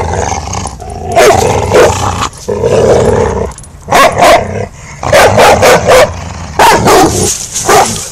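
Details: English Mastiff puppy Rufus, five months old, playing in a backyard with his three-year-old sister Chica; loud rough barks and growling bursts come in quick clusters, with short gaps and a steady high background hiss.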